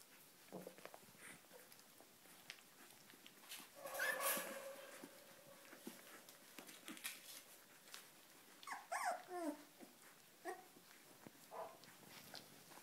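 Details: Cardigan Welsh Corgi puppies at 22 days old, Volga region: soft squeaky whimpers and a couple of louder whiny squeals, scattered over a quiet indoor background with faint rustling.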